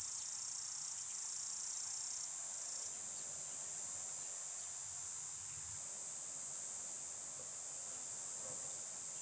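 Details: Shrill, sustained buzzing of summer cicadas, a single high steady tone that never breaks, accompanied by barely audible low background sounds.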